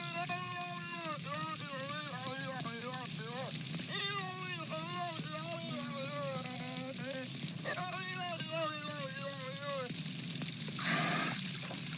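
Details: Beluga singing: repeated short, bouncy harmonic chirps and wavering tonal squeals in quick runs, with pauses between phrases, over a constant hissy high-pitched background and a low hum.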